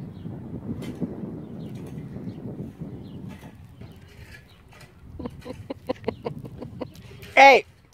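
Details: Baby goats: low human voices murmur at first, then a run of short, evenly spaced tapping pulses leads into one brief, loud, wavering bleat at the very end.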